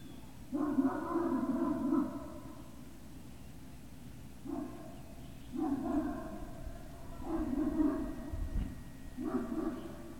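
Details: Great Dane puppies at Puppy Hill, 18 November 2018, afternoon; sustained harmonic whining in five bouts of roughly one to one and a half seconds each, separated by short pauses, with faint background hum.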